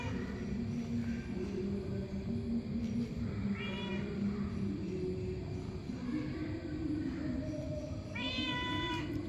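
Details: A cat gives two brief meows a few seconds apart, the second clearer and more tonal, against a constant droning low background hum.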